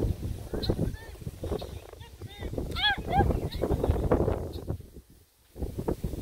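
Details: Playing Redbone Coonhound puppies, joined by a Bluetick Coonhound pup, give quick stacked yelps and squeaky rising-falling whines, several in rapid runs, over thumping, scrambling movement noise.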